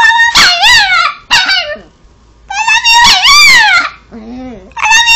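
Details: Chihuahua Cosmo Kramer, a pet dog, "talking" an "I love you": bent, yodel-like howled phrases in bursts, with a person's lower voice audible in a pause between them.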